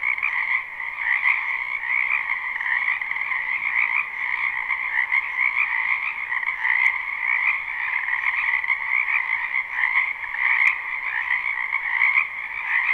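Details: Frogs croaking in a spring wetland behind a house, recorded live: a dense, unbroken chorus of overlapping trilled croaks in two steady bands, pulsing slightly in loudness throughout, with a few faint clicks and no other clear sounds.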